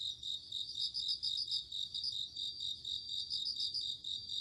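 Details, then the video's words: Crickets on an autumn night: rapid, high, bell-like pulse trains come in short bursts over an unbroken shrill insect drone. "鈴虫 夜の虫 虫が鳴く夜の雰囲気 コオロギ 秋"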